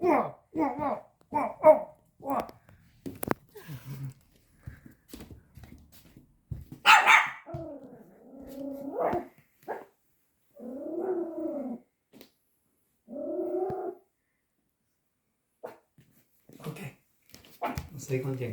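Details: Pomeranian puppy, five months old, indoors and scared of a tiger toy, giving a quick run of short sharp barks, then scattered yaps and two longer harsher barks, with a woman speaking over it.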